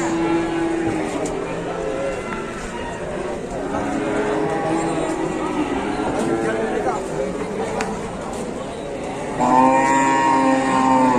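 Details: Big cattle at Pasar Pon market, Ambarawa, Indonesia, unloaded from a truck near the weighing scale; drawn-out, stacked-harmonic lowing repeats across the recording, ending in a loud sustained moo, while people chat nearby.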